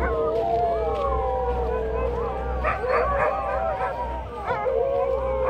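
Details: Group of sled dogs in Ilulissat, Greenland, howling in chorus: layered quavering howls with some short yelping bursts mixed in, continuous throughout, faint low hum behind.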